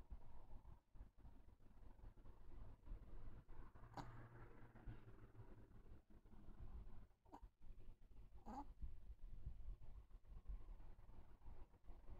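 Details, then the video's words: Pet Chihuahua named Jiji snoring quietly: soft, low rumbling breaths run throughout, with brief louder snorting puffs near four, seven and eight and a half seconds over a faint steady background hum. "チワワ 愛犬 jiji いびき"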